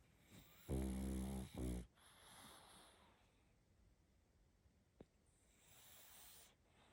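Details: Puppy pug snoring in its sleep: two quick, throaty, buzzing snorts in close succession, followed by soft, airy breathing and one faint click in a quiet room.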